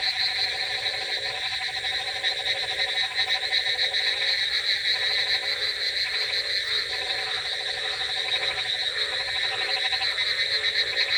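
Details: Many frogs croak together on a rainy night, with rapid overlapping rattles at an uneven pace of about three per second, beneath a persistent shrill hum and steady hiss.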